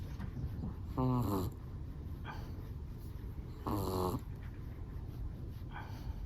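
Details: Sleeping Chihuahua snoring: two short, tonal, harmonic snore bursts about three seconds apart, each lasting half a second, over a steady low background hum.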